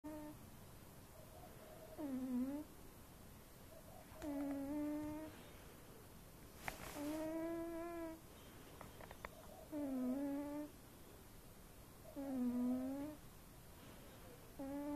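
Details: Fat domestic cat snoring while asleep indoors; tonal, droning snores with a dipping pitch come about every two to two and a half seconds in a quiet room, with a brief click midway.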